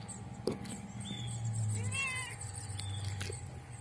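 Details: Black-and-white spotted cat meowing for food at feeding time; a single short, curved meow near the middle with a faint softer one after, set against a low steady hum and some clicks.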